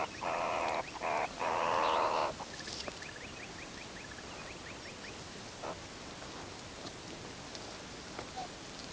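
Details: A wild meerkat group grooming and huddling at sunset before going to sleep gives harsh, buzzy calls, then a quick run of soft, high chirps.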